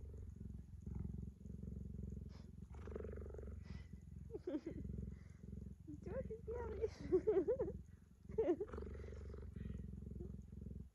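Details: Cheetah resting with its owner on a blanket and showing tenderness, purring in a low rhythmic rumble that fades and returns, while a woman speaks affectionately and laughs in the second half.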